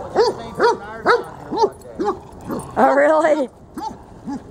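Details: At Lakewood dog park, dogs Freddie and Miley bark during a game of tug of war: four evenly spaced sharp barks, a drawn-out wavering whine-like sound, then two more barks.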